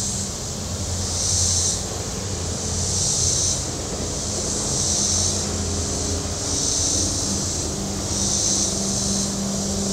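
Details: Shore cicadas at Table Rock Lake, southern Missouri, on a warm Saturday: pulsing high-pitched buzzing in five even surges, set against a low, humming engine drone from passing boats.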